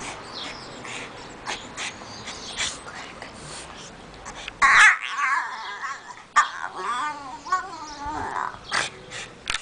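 A French Bulldog makes wavering, high whines and squeaky grunts that sound like a baby fussing.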